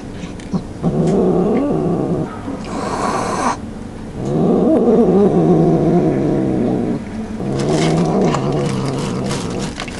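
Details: Domestic cat growling while eating and refusing to share its food; long low rumbling growls with harmonic layers, three sustained bouts of about two to three seconds each separated by short pauses.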